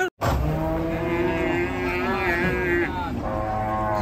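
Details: Raging cattle, a rope tight around its neck, giving one long sustained moo with wavering tone, steady throughout, with faint crowd noise.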